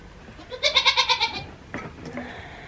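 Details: Nigerian Dwarf goat on a homestead farm where a newborn kid has just arrived: a quavering, strongly wavering bleat of about a second, followed by a shorter, fainter call.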